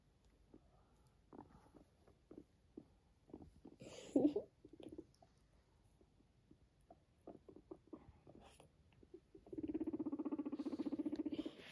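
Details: A guinea pig, said to be a Sheltie, walks beside its owner and gives a low, buzzing purr after a run of soft, scattered clicks and taps.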